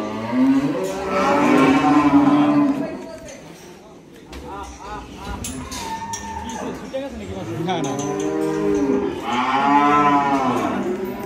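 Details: Large cattle gathered for Qurbani Eid at Dhaka Agro, Bangladesh; two long, loud moos, one at the start and another near the end, each rising then falling, with shorter lowing between and a busy farm background.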